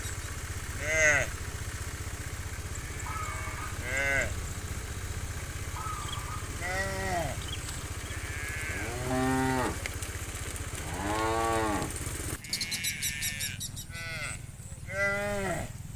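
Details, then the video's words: Herd of cows on the move toward rice fields in the morning, several animals mooing in turn, short and longer arched harmonic calls overlapping at varied distances, over a constant low rumble with a metallic rattle late on. "Funny Cow Sounds"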